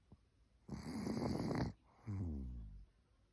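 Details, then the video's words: Sleeping senior Maltese named Cookie gives one long grating snore, then a shorter, smoother wheezing breath that fades out, in a quiet indoor room. "숨소리인지 코 고는 소리인지"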